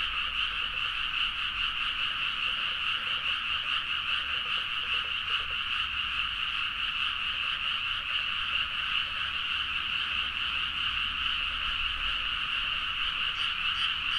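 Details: Large chorus of frogs calling vigorously in rice paddies at midnight, Nagaoka, Niigata, Japan, recorded on a Zoom H4n; an unbroken, rhythmic mass of croaking pulses repeating about twice a second, with a low steady hum below.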